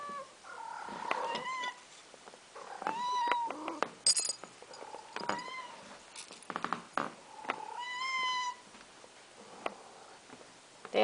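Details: Two pet cats, Boots and Tiger, meowing over their food while cat-sat at home on December 4th, 2023; the male has a high-pitched meow, the female a low one. Several harmonic meows, some rising and falling, repeated through the clip with quiet indoor noise.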